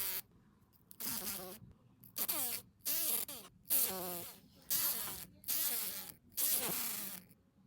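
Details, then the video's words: Green fly buzzing while held in the hand indoors, caught after entering a house; six strong buzzy bursts roughly once a second, each with a bent, shifting tone, separated by brief quiet pauses. "Звук жужжания зеленой мухи в руках | Fly buzzing sound"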